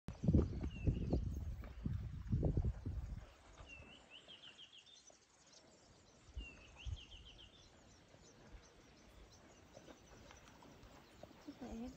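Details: Deep, rumbling grunts from aggressive hippopotamuses at Orpen Dam, Kruger National Park, South Africa, in January 2022, in the opening seconds, followed by quieter bird trills.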